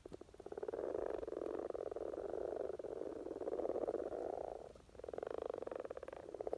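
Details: Common frogs in spring courtship in Norway, a dense low purring chorus of many males, overlapping rapid pulsed croaks forming a continuous grating hum, dipping briefly near five seconds before swelling again.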